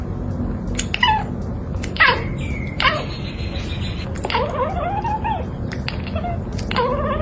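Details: A domestic cat chatters in quick, stuttering bursts with short chirps sliding down in pitch, the teeth-chattering cats make while staring at prey like birds or squirrels, thought to show predatory excitement and frustration at not reaching it.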